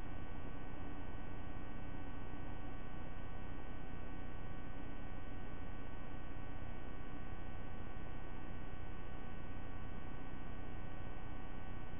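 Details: Only a steady low electrical hum with faint static fills the recording, and no animal calls can be picked out.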